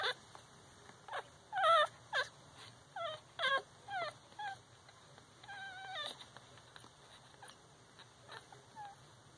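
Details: Week-old Shihcockapoo puppies, Cocker Spaniel father and Toy Poodle–Shih Tzu mother, litter of four, making thin squeaky whimpers and short falling squeals in scattered bursts over a faint background hum.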